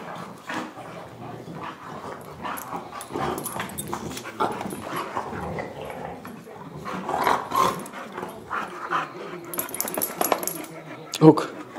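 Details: Playing dogs recorded with a Canon Vixia HF 21 produce a continuous run of short, gruff barks and growly bursts, growing louder toward the end and ending with a sharp peak.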